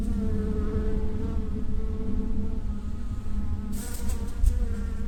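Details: A bee (owner thinks it's a bee) gives a steady, low, droning buzz with a rich, even hum, an unusual noise made just before it starts flying.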